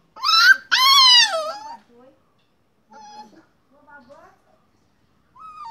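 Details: Puppy producing two loud, high whining yelps at the start, the second drawn out and falling in pitch, followed by faint, soft whimpers and a short whine at the end.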